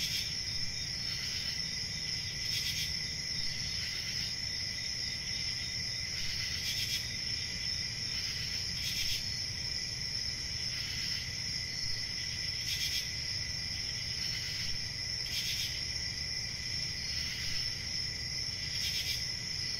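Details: High, continuous cricket trilling with brief louder pulses of chirping roughly every one to two seconds standing out above the steady insect chorus and a low background hum.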